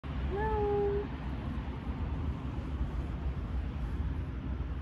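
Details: Street cat on a beach, described as aggressive, giving one short rising meow near the start, then fading, over steady low rumbling background noise.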